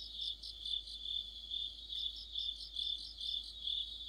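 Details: Deep-autumn chorus of crickets and fellow insects under a streetlight: continuous high-pitched ringing trill with quick pulsed chirps overhead, rhythmic surges in loudness, one brief faint click near the middle.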